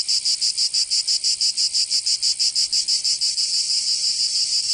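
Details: Summer cicadas in Provence, south of France, giving a loud piercing buzz in quick regular pulses that blur into a continuous drone near the end.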